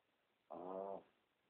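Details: A single loud snore from a sleeping Pomeranian, recorded on a cell phone: one half-second harmonic, buzzy breath followed by soft background hiss.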